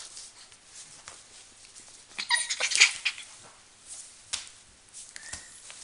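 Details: Five-week-old Border Collie puppies: a short, high yelping burst midway, then a brief thin whine near the end, set against steady rustling and clicking movement noise.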